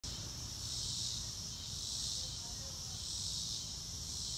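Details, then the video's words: Crickets in a natural outdoor setting, no music added: a steady high shimmering band of chirps that swells and fades in slow pulses about every second and a half, over a low rumbling background hum. "Nature Sounds - Real Time - No Music - Meditation - Crickets"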